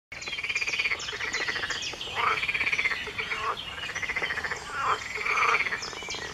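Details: Frog chorus at 4 a.m. on an early June morning, 23 June 2019: dense pulsed croaking trills swell in waves about every one and a half seconds, with thin high bird chirps over the top.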